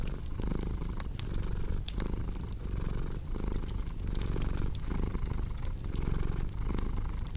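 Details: Domestic cat purring steadily in a low, rumbling drone, broken into breath cycles about every second, with sharp pops and crackles of a fireplace scattered over it.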